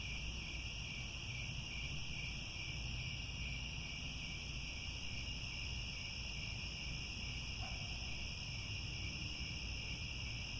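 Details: Grassland crickets at Angkor Wat, Cambodia, calling at sunset. A constant high, ringing trill chorus runs throughout, and a brief faint lower call sounds once near the end over a low background rumble.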